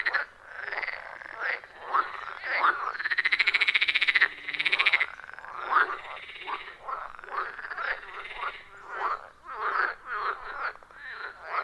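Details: Wild frogs calling in a loud chorus around a forest pond, recorded on an iPhone 14 Pro with a Shure MV88+: overlapping croaks at mid pitch, with a long trilled, rattling call rising and holding for several seconds mid-clip, then a run of short croaks.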